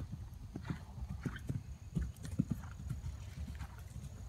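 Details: A 2012 RPSI mare on her fourth ride over fences, recorded 3/29/16: dull, irregular hoof thuds strike the ground in uneven bursts over a low outdoor rumble, with a few sharper knocks near the middle.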